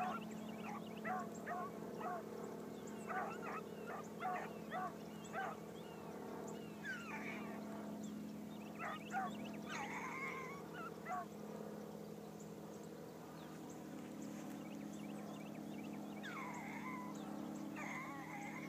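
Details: Bee, a new Blackcreek gyp (female hound), runs a trail for the first time in the morning, giving repeated harmonic bawls and chops at uneven intervals, roughly one a second, over a steady low drone with faint chirping in the background.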